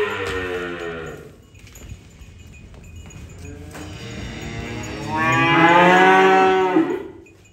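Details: Being unloaded, a cow lets out a short moo, then after a quieter stretch a long, loud rising bellow with strong harmonics that fades out.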